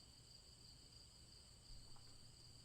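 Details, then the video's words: Crickets chirping as a quiet backdrop for a bedtime fairy tale: a steady high trill with brighter chirps swelling every half second or so, a low rumble underneath and a brief louder thump near the end. "Crickets Chirping"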